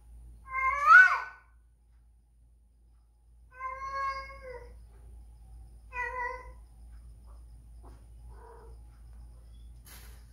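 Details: Whisky, a female house cat spayed two years earlier, crying while in heat and seeking a male to mate; three loud drawn-out harmonic yowls with falling tails, followed by fainter short cries, in a quiet setting.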